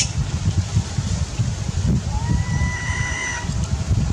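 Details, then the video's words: A hungry baby monkey that has lost its mother cries: one long, thin whine that begins low and climbs to a steadier, higher note for over a second, set against a constant low rumbling background. "Crying full clip, Poor baby monkey lost mom, Crying hungry need milk"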